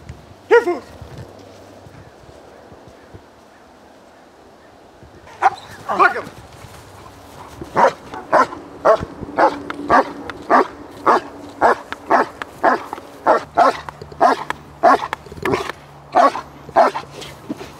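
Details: German Shepherd in obedience and protection training, barking in a steady series of sharp, loud barks about twice per second from midway on, after an early single bark and a quiet stretch; a person speaks briefly.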